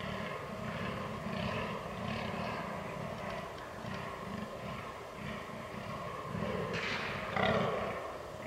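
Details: Fallow deer during the rut on 22 October 2022, recorded with a Canon R6: deep, rhythmic low grunts repeated rapidly in bursts, with a louder rougher call near the end over a steady rural background.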